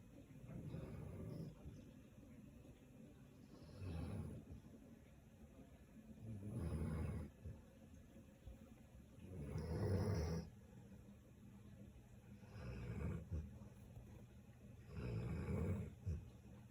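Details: A Samoyed dog snoring: low, rough rumbling breaths that swell and fade, one roughly every three seconds, with quiet gaps between them and a faint steady background hum.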